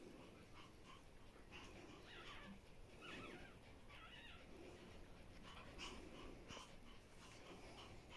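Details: Pomeranian female Bambi resting with her puppies in the morning, deeply relaxed; faint, high, harmonic whimpers and squeaks come in short bursts, scattered irregularly over a soft, steady background hiss.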